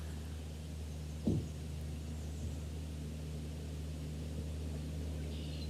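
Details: Steady low hum and faint hiss with one brief knock, and no animal calls heard.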